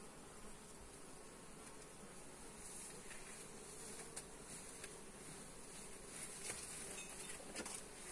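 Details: Honey bees buzzing during a hive inspection, filmed on a Xiaomi Redmi Note 8 phone; a steady low hum with a band near 500 and a few faint clicks and knocks scattered through.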